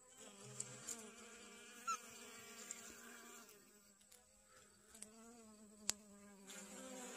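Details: Garden honey bees foraging for pollen on sunflowers in late August: a sustained, slightly wavering buzz with even harmonics, interrupted by a few sharp ticks and a small pitch drop midway.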